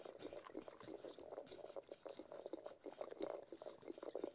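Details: Cocker Spaniel named Ted enjoying his food, making moist slurping and smacking noises in rapid irregular bursts, a few louder wet pops near the end.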